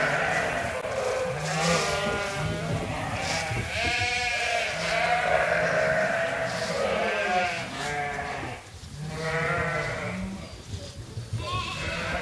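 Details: Groups of sheep and lambs kept on Ewetopia Farms, calling while they wait to be fed. Many bleats overlap, each a shaky drawn-out cry, with a short lull near the middle before the calling picks up again.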